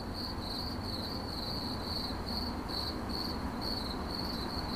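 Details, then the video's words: Cricket chirping in 8D audio, a high ringing chirp pulsed about twice a second in a steady run, with a faint higher overtone and a low rumbling background noise throughout. "CRICKET CHIRPING"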